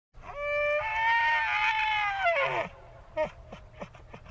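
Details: A bull elk in a forest gives a long, high, whistling bellow that rises, holds, then drops away into rough grunts.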